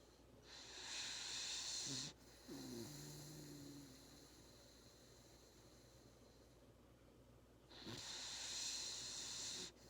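A Labrador Retriever puppy snores, with breathy hissing breaths broken by low, rattling snorts.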